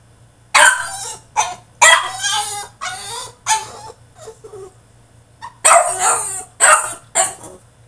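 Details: French Bulldog throwing a tantrum inside his cage, barking and yelping in loud, ragged bursts mixed with whining, pausing briefly before a final run of sharp yips.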